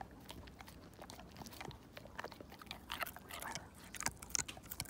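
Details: Siberian Husky named Slim gnawing a bone down to nothing, teeth grinding against bone; dense run of sharp crunching clicks and cracks, growing louder and more frequent toward the end, indoors.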